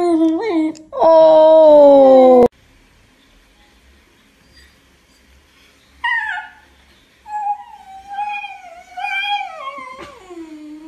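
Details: Basenji dog talking with its owner indoors, giving several yodel-like vocal phrases: a wavering whine, a loud sustained falling howl, then a long silence before broken, warbling, rising-and-falling whines and a final low downward moan.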